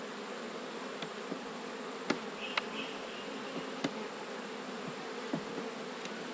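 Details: Autumn hive inspection in Australia with honey bees humming steadily while frames are lifted; sharp clicks and knocks of wooden frames and hive tools punctuate the drone.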